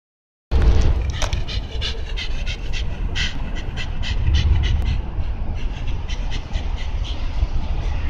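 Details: Shiba Inu dog at Tsukiji, Amagasaki, on 28 April 2014, panting in quick rhythmic breathy puffs throughout, over a heavy low rumble of wind or handling noise.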